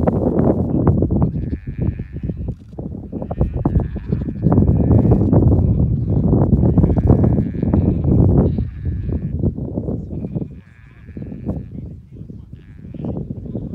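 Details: A small flock of extremely rare, genetically mixed Cladoir sheep comes down off the mountain in Connemara, Ireland; repeated wavering bleats from several animals rise over loud, rough low-frequency rumbling throughout.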